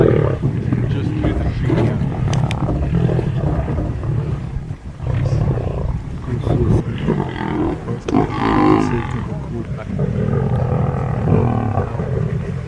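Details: Large pride of wild lions feeding, heard from a distance with only occasional glimpses: dense, continuous deep growling and snarling from several animals overlapping, with louder rasping outbursts near the middle and end.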